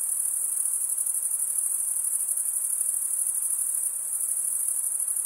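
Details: Male crickets stridulating, rubbing the top of one wing along the toothed vein beneath the other, in a dense, unbroken high-pitched shrill that pulses rapidly and never pauses; no other sounds intrude.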